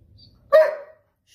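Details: German Shepherd, a long-haired double-coat dog in timeout and told not to talk back, gives one sharp, loud bark with a bright, slightly falling tone lasting about half a second, then silence.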